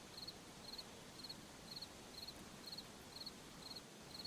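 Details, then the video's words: Crickets in a forest at night give short, high, triple-pulsed chirps about every half second, evenly spaced over a steady soft hiss of background noise. "Sound of Forest at Night, crickets"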